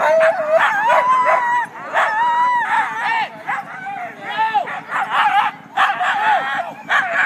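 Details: Siberian huskies of a sled dog team clamor just before the start of a February 9 race north of Weed, California, in Klamath National Forest; overlapping howls bend up and down among sharp yips and barks, nearly continuous throughout.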